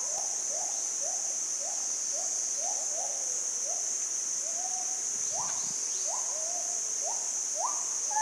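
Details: Monkeys on a forest trail in the southern hills of Ban Mai Huai Hia, Chom Thong, Chiang Mai, Thailand, trade short rising coo-like calls, calling to one another as they approach unseen from a distance, over a steady insect drone.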